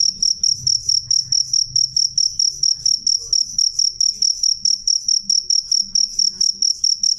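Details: Cricket chirping loudly and clearly: a steady run of short, high, ringing pulses, roughly three or four a second for about seven seconds, with a soft low rumble underneath.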